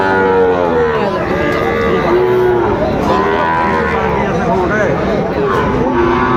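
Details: Sahiwal breed bulls and calves traded at Aftabganj cattle market, Dinajpur, Bangladesh, on Tuesday, 2 September 2025. Repeated short and long moos from several animals overlap throughout, with a continuous murmur of the market crowd behind.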